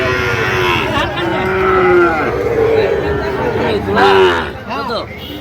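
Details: Sahiwal bull calves at a market where a Dhaka farmer buys stock, 22/9/2025. Several drawn-out, arching moos overlap one another, with men bargaining nearby.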